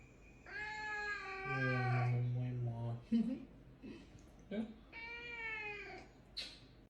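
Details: Pet caracal indoors, meeting grandpa: drawn-out, strongly harmonic meowing wails that rise and then fall, given in several bursts, with a deep steady low tone underneath and human voices nearby.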